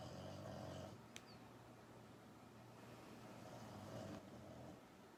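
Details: A sleeping female French Bulldog named Pukka, filmed secretly while in a deep sleep, snores with a low rumbling drone through most of the stretch, and the rumble swells slightly in two breaths, indoors in a quiet room.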